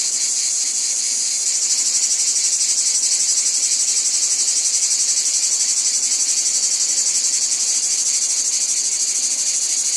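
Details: Cicadas in a wheat field, a brief softer start giving way to a loud, steady, high-pitched buzzing chorus throbbing rapidly at around four pulses a second for the rest of the recording.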